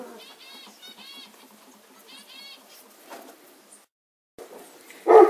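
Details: Kuvasz puppies, 35 days old, being chosen from a litter; thin high-pitched whines come in short wavering bursts, three clusters in the first half, followed by a pause and a louder rustling thump at the end.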